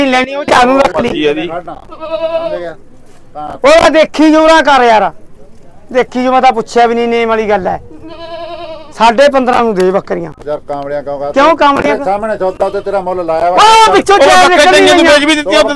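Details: Five goats being sold at a livestock market, bleating in wavering, nasal bursts scattered between loud men's voices bargaining over the deal, with crowd chatter around them.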